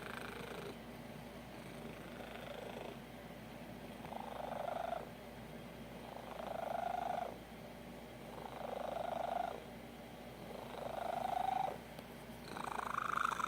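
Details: Domestic cat indoors making weird noises when extremely happy, often at 3 AM: a steady low purr with louder, buzzy voiced swells rising and falling about every two seconds, five or six in a row.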